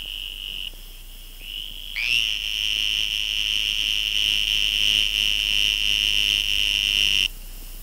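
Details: A Western Green Toad (Bufo debilis insidior) gives a long, high, buzzing trill as its mating call; the species is said to share the Sonoran toad's breeding habits, calling about a yard from the water.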